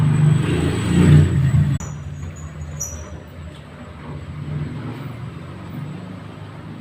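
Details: A deep engine-like rumble, loud at first and then dropping to a steady, quieter hum, with no animal voice.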